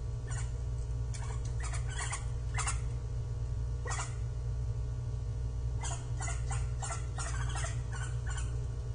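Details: Japanese giant flying squirrel giving repeated rough calls on 25 December 2023 between climbs and glides; rapid scratchy bursts come about once a second, sometimes doubled, over heavy low-frequency background hum.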